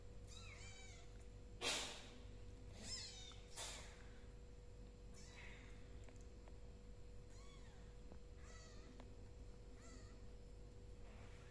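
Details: Hungry kittens in a house meowing; several short, thin meows with rising-falling arcs, a couple louder near the start, over a steady low hum.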